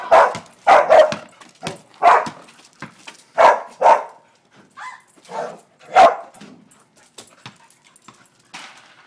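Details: Soft-coated wheaten terrier, an adult female pet, playing basketball in a Los Angeles back yard in August 2010: bursts of sharp repeated barks, several in quick runs, then quieter scattered yips with pauses.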